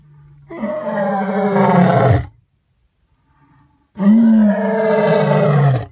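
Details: A white lion gives two deep, rasping roars, each lasting over a second with a pause between.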